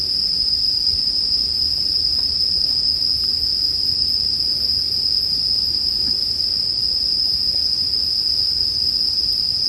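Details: An even, continuous high chirring of bell crickets dominates, with scattered quiet crackles from a campfire in the background.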